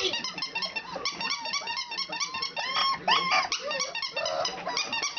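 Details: A litter of four-week-old country puppies practising, giving a dense run of high squeaks and whining yelps, some notes bending sharply up and down, with brief louder cries near the middle and faint human voices.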